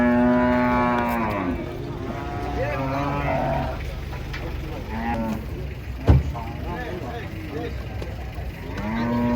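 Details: Cattle coming down off a truck at market: a long, loud, harmonic moo opens, followed by quieter overlapping lows over a constant engine hum, a sharp knock midway, and another moo rising at the end.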